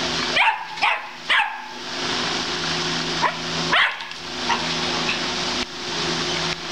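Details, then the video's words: Castrated male German Shepherd, still dominant, trying to mount, urinating everywhere and barking nonstop. About six sharp, harsh barks come in uneven bursts, three close together then a few more spaced out, over a steady loud hiss. "Pastor Aleman Castrado 070714 intenta montar, orina en todos lados y ladra sin parar"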